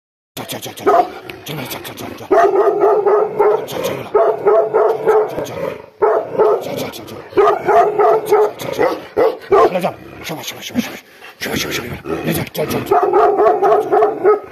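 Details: Gaddi dogs Billa and Jaiky, a Himalayan shepherd breed, in an aggressive mood, giving loud, rapid, harsh barks and growling bursts in dense clusters with brief pauses.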